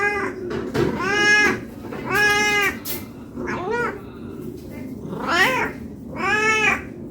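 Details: Domestic cat calling for food because it is hungry: six meows of varied shape, some long and steady, others short and falling, with a brief click and faint background hum between calls.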